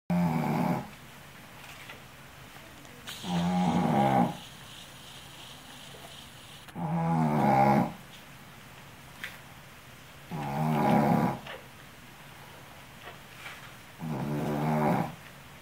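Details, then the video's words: Yuli, a female Shih Tzu exhausted from caring for her puppies, snoring in deep sleep indoors: raspy, rattling breaths in about four loud bursts roughly every three to four seconds, quiet between. "Yuli roncando...."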